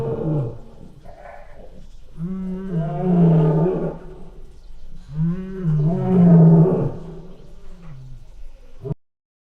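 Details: Lion giving two long moaning roars, each a drawn-out tonal bellow that swells and fades, separated by about three seconds of low rumbling.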